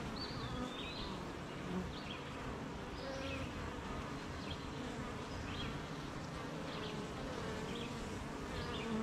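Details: Beehive humming on a rainy morning with honey bees busy making honey near gardens and fields; the low continuous buzz stays even throughout while small bird calls flick in and out overhead.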